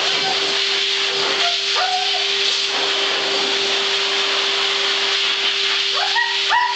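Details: At a groomer's, a Siberian husky named Freya has a fit over the blow-dryer, giving short, rising howls over its steady roar.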